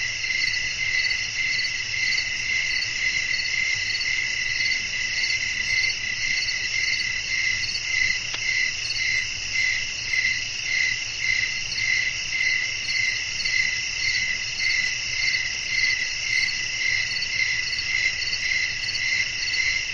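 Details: Nocturnal crickets fill the air with a sustained shrill chorus, pulsing regularly at just under two beats a second, with faint blowing wind in the background.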